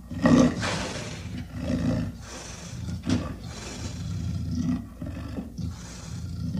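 A snow leopard gives a run of deep, rasping growls and roar-like bursts.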